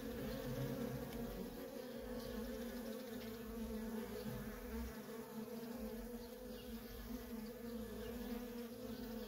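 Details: Constant stream of worker honey bees at a wild feral colony, heard as an even, humming drone with a slightly fuller low rumble in the opening seconds.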